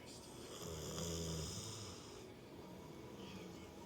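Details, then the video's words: Hachibei, an American Pit Bull Terrier, fast asleep indoors, lets out one long rumbling snore in the first half, with a breathy hiss over it, then quiet room tone. "犬のいびき4 ピットブルのハチベエさんのいびき、爆睡中！"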